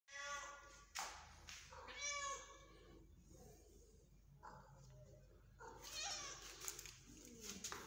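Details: Home cats in a corridor in the early morning, asking for food, cheese given as a treat; several bright harmonic meows, some overlapping, at intervals of about a second, with soft rustling and footsteps between.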